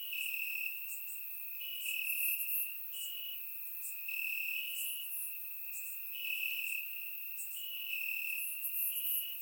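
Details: Night chorus of crickets in summer grass, Bulgaria, captured with a surround microphone; one continuous high-pitched trill runs throughout while higher chirps swell and fade in bursts above it.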